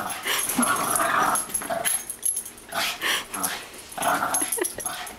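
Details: Boston Terrier playing with a Great Dane, giving bursts of rough, breathy growling and wheezy snarls in short rushes about a second long, separated by brief pauses, with scuffling and panting between them.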